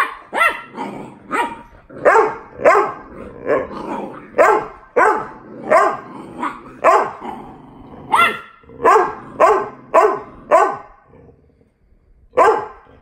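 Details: Boxer puppy playfully fighting his big sister, giving a fast run of barks about two per second, some rough and growly, then a short break before one final bark.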